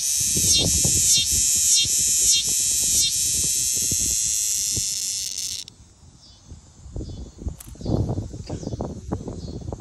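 A cicada's loud, shrill buzzing song pulses steadily, then cuts off into quiet rustling.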